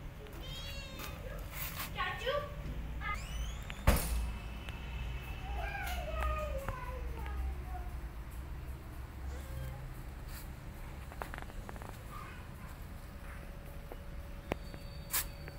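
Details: Rescue kitten Goldie, protecting her adopted siblings, gives a series of thin, harmonic meows. Several early ones are quick and rising, and a longer falling meow comes around six to eight seconds. There is a sharp knock, low background hum and scattered clicks.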